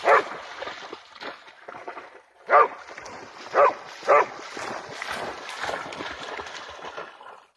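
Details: Excited barking from Jax, a Pharaoh Hound lunging after a bug-hunting bat over water: four abrupt, punchy barks spread over several seconds, the last two close together, with constant rushing noise underneath.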